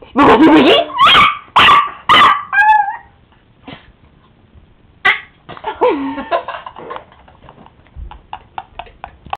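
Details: Excited pet Chihuahua: loud yips and short wavering howls at first, then scattered softer whines and yelps with quiet gaps.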